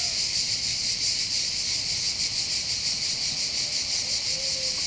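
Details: Cicadas sing on the hills above Bandol harbour, Côte d'Azur, France, in summer: an unbroken high, rasping drone throbbing rapidly and evenly, with a faint thin whistle near the end.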